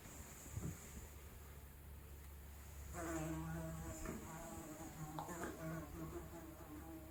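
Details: Fly buzzing, recorded as real analog sound without post-processing; a quiet low hum first, then from about three seconds a wavering, droning buzz with pitch that shifts and swells as the fly moves, continuing to the end.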